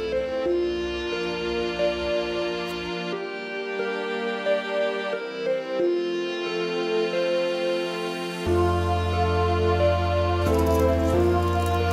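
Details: Slow, soft instrumental music with sustained tones and a deep bass entering late, with no animal sound heard.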